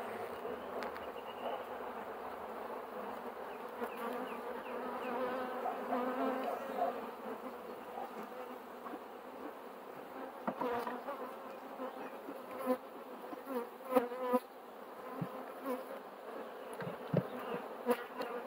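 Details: Steady collective buzzing of honey bees, a thick droning hum with layered tones, louder swells and brief knocks and rustles toward the end, likely beekeeping handling noises.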